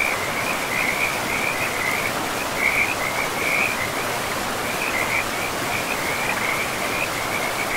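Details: Frogs in a pristine, moss-covered forest beside a river, calling in short, high, rattling trills that come in clusters every second or so over the steady broadband rush of flowing water.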